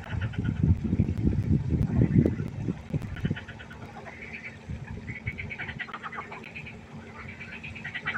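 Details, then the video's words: Frogs at a pond at night: fast, rattling low croaks about four per second dominate the first seconds, then fade to softer higher nasal calling in the background. "1 Stunde Froschkonzert. Frosch Geräusche quaken."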